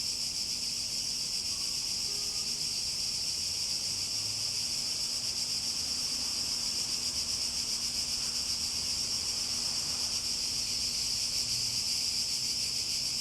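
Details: A dense cicada drone, loud, high and metallic, pulsing rapidly without pause, with a thin steady hum beneath and nothing else standing out.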